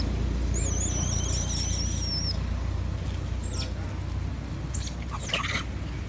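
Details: Baby female monkey crying loudly for her mother to nurse her, possibly unwell: a run of shrill, wavering, squealing cries with rapid up-and-down pitch wobbles, then a short arched squeal later, over a steady low rumble.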